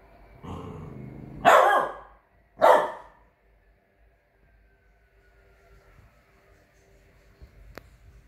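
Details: Chow Chow x French Bulldog pup aged 3 months playing guard dog, a low grumbling growl leading into two loud, harsh barks about a second apart, then near silence with a faint fading hum.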